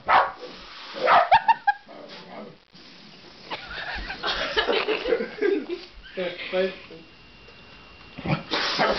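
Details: A Basenji frightened by a balloon being blown up gives high, wavering yelps and whines, with people talking and laughing.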